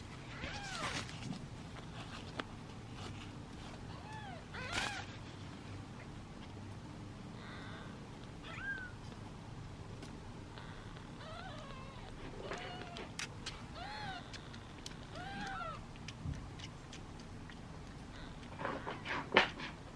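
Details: Hungry kittens in a basket awaiting feeding give scattered faint meows, mostly short and soft, among rustling and bumping noises.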